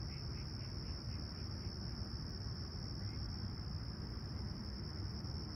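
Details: Crickets chirping at sunrise on a clear, calm summer morning at Humber Bay Shores, Toronto, on 28 July 2020, about 20ºC: a steady, unbroken high-pitched trill over a heavy low rumble of background noise, with a few faint pulsed notes early on.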